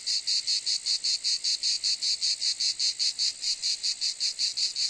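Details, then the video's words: Cicada noise: a high, harsh buzz chopped into regular pulses at roughly four or five per second, each swelling and fading evenly, with nothing else heard. "Cicade geluid / Zikaden sound / Zikaden zirpen / Cicada sound effect"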